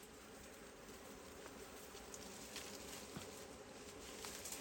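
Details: Wild honey bees at a forest beehive give a low, steady droning buzz with layered hum bands that holds through the whole clip, faint beneath rustling and light patter.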